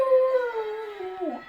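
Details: Dog singing to church bells with a short howl. It starts high and steady, then sinks and wavers before fading. Faint ringing tones continue underneath.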